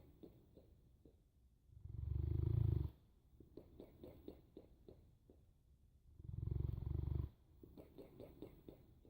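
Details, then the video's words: A Boerboel sleeps and snores: two heavy, low rumbling breaths about four seconds apart, each trailed by a run of small crackling clicks. "Snoring Boerboel"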